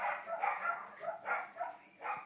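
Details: Five-week-old Shetland sheepdog puppies, playing and sleeping: a run of about six short, high, wavering whimpers and yelps in quick succession against a quiet background.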